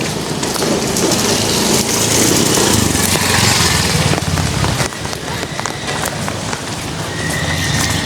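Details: A horse neighs amid a busy stable of many horses at Tegalwaton, Salatiga, with a man's voice and clattering noise around it.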